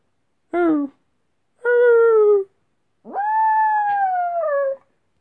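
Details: A female Chihuahua cross Jack Russell missing her owner gives a short yelping note, then two sustained howls. The last is longest, sliding up at the start and slowly falling away, in an otherwise quiet room.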